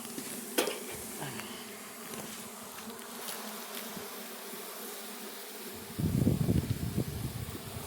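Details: Russian honey bees at the first opening of their hive on a red stand, a steady low droning hum from the colony with faint clicks, and a louder burst of buzzing and rustling near the end.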